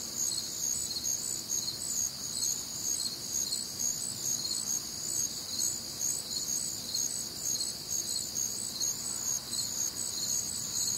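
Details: Many crickets calling through a humid Midwestern summer night, shrill rhythmic chirps pulsing about twice per second over a constant high shimmer, no other clear sounds.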